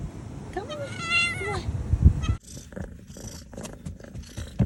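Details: Kitten just back after being missing ten days following a snowstorm gives one loud, drawn-out, arching meow, followed by rustling and handling sounds.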